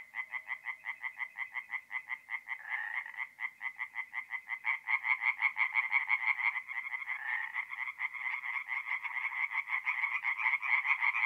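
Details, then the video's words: Tree frogs singing at night in a forest pond in north-east Italy in mid-April: rapid pulsed croaks repeated about three times a second, several callers overlapping into a steady, slightly rising chorus. "relaxing forest pond by night with singing tree frogs"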